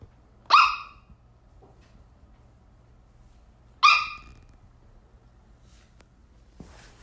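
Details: Sheltie in pursuit of a laser dot lets out two isolated high, piercing barks about three seconds apart, separated by near silence, with a faint rustle and soft thump near the end.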